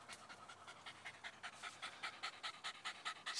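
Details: Jack Russell or fox terrier panting fast and hard after fighting and killing a groundhog, with rapid breaths at about two per second, slightly uneven in rhythm, outdoors.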